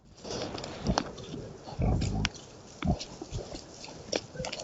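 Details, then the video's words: Wild boars recorded by a camera trap: a few low, short grunts, strongest near the middle, with rustling and snuffling noises between them in otherwise quiet surroundings. "sangliers "effet sonore""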